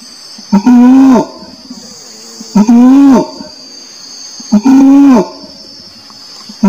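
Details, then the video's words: Orangutan calling three times: short, low, hooting tones with a sharp onset, spaced about two seconds apart, against a constant shrill buzzing background. "SUARA ORANG UTAN"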